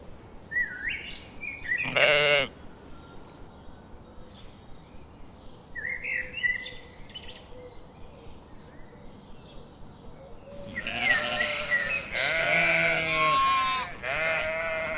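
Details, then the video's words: One brief quavering sheep bleat early on, scattered bird chirps, then a louder, rougher stretch of bleating and noise toward the end. "Cute Little animal - Sheep, sound, funny, little"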